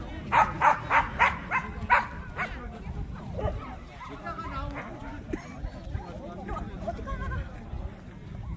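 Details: Korean Jindo at the 67th Korea Jindo Dog Association contest to select Korea's best Jindo dog. About five sharp barks come in quick succession in the first two seconds, then give way to crowd murmur and talking.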